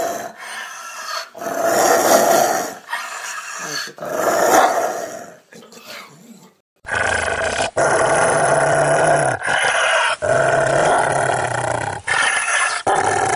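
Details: Rottweiler growling hard in rough rumbling bursts, first in a looser series, then in a steadier, louder run of sustained growls separated by short breaks.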